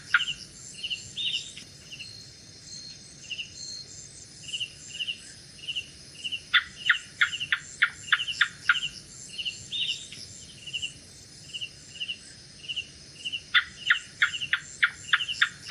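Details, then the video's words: Night-time gecko call in two bursts of rapid, sharp clicking chirps, about eight ticks in each run, with the bursts several seconds apart. Rhythmic cricket pulses and a constant high-pitched insect drone fill the background. "Gecko Sounds | Gecko Sound Effects | Lizard Sound At Night"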